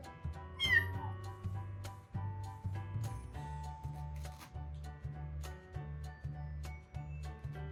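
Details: Foster kitten, born in a construction company's yard and kept at home until adoption, meeting resident tuxedo cat Shijimi for the first time in summer 2019; one short high meow slides sharply downward, set against steady background music.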